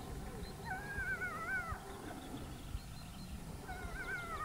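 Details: Gray wolves (Canis lupus) in Haute-Savoie, France, howl in long, wavering tones that rise and fall over a low rumble of background noise.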